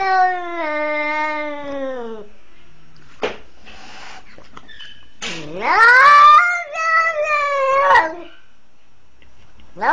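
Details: A 20-day-old kitten that followed its mother outdoors and was seized by a leashed pitbull gives a long, drawn-out wail that falls in pitch. After a brief pause comes a second strained cry that dips, rises and holds. A few short, faint sounds fall in between.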